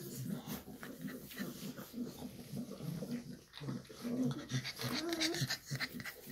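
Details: Shar Pei mom with her puppies: quick irregular grunts and panting breaths, soft whimpering tones rising near the end, faint voices in the background.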